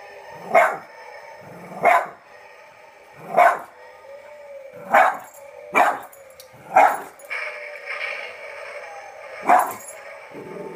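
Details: Dog barking at small zombie figures, a run of seven short barks spaced about one to one and a half seconds apart, with a faint steady hum between them.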